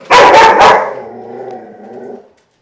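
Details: A fearful, reactive 10- or 11-month-old male Dutch Shepherd x German Shepherd mix dog gives two quick, harsh barks at dogs and people, then a fading rumble.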